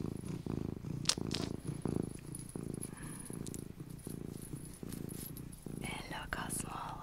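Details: Small domestic cat purring close up indoors, a low throbbing rumble in short rhythmic pulses with each breath, with faint whispering and rustling near the end.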